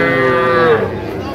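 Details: Cattle at a Comilla market on 14 February 2025, where farmers buy very small bull calves: one drawn-out, tonal moo lasting about a second that sags lower at its end, with crowd chatter behind.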